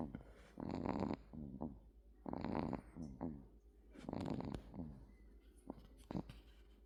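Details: Bami, a sleeping male American Shorthair cat born January 2024, snores loudly indoors: raspy, buzzy breaths in rhythmic bursts about every one and a half seconds, each inhale followed by shorter stuttering rasps.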